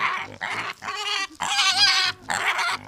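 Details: Pigs on a farm during feeding of a nursing sow: harsh, strongly harmonic squeals in several bursts, one held for about a second, separated by short breaks.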